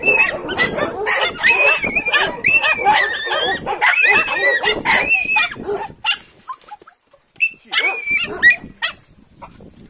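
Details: Jagdterrier puppy, eight months old, female, excited at spotting something to hunt: rapid high-pitched yelping and whining barks crowding the first six seconds, then scattered squeals after a brief lull, with a person's voice faintly present.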